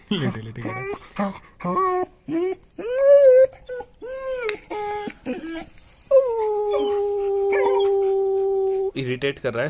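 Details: A 5-month-old long-coated German Shepherd puppy gives short, wavering whines and howls, then one long, steady howl, set off by a sound that irritates it; a person speaks briefly before and after.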